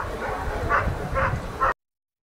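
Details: Three quick barks spaced about half a second apart from Ivar vom Falorie, a dog in the protection phase of the NIAK 2015 trial, with low background rumble before the sound cuts off.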